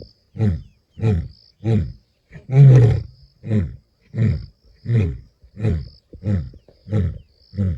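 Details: The Masungulo male lion in Kruger, 11 April 2025, roars strongly and deeply, then follows with a steady run of short, booming grunts.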